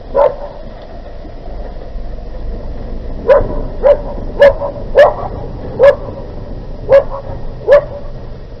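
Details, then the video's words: Barking from a dog attack in Küstrin-Kietz on the Polish border, Oderbruch, 20 August 2018, a loose Newfoundland against a leashed Keeshond; one bark, a pause, then seven loud barks in irregular succession against constant low noise. "Hundeangriff 20 08 2018 im Oderbruch in Küstrin Kietz, dog attac - Newfoundland dog attacs Keeshond"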